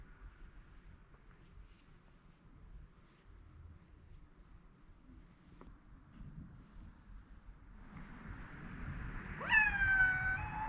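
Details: Rescued pet cat, worried about its owner who overslept, meowing hard to wake them indoors; after a quiet stretch of low room noise comes one clear, loud, bending meow near the end.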